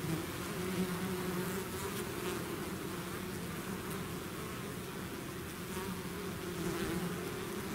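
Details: Bees swarming out of their hive: continuous layered droning from many insects, even in loudness throughout, with faint passing whines of individual bees over the constant hum.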